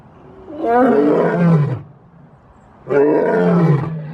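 A lion gives two deep, powerful roars, each lasting over a second and sliding downward in pitch.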